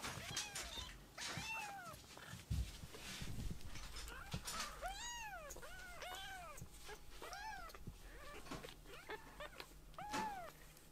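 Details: Rescued baby kittens indoors after waking from a nap, fussing over their mother and walking around the room; high arched meows with rich harmonics repeat roughly every second, with soft thumps and handling noises between calls.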